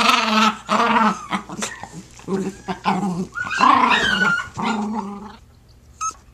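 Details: Jack Russell Terriers playing tug of war with a blanket: rough, throaty growling vocalizations in bursts of varying length, some rising and falling, with short pauses between, fading near the end.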